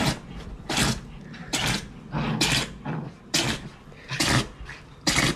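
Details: Dog sneezing in the middle of energetic zoomies: a quick run of short, harsh, breathy bursts, about eight in five seconds, each a sharp puff followed by a brief gap, close and loud in a small indoor space.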